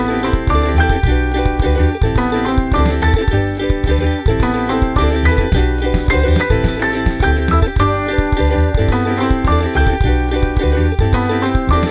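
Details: Upbeat percussive music with steelpan-like melodic notes and a steady bass beat plays throughout, with no animal voice.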